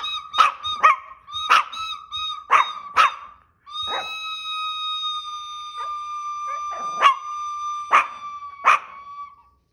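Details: Chihuahua singing: quick clusters of shrill yips and barks, then a long steady high tone held for several seconds with occasional yelps over it, ending in a few more sharp yips.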